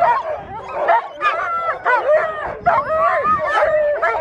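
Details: Alaskan Malamutes Mama Sola and her daughter Sojou at Mush Larose sled dog training in Farran Park, Ontario, on December 19, 2020: a burst of overlapping, wavering howls and yips, rising and falling, from several dogs at once.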